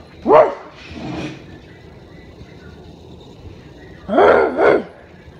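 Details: Rottweiler kept as a pet barks at its owner: a bark and a softer second one, a long pause, then a quick pair of loud barks.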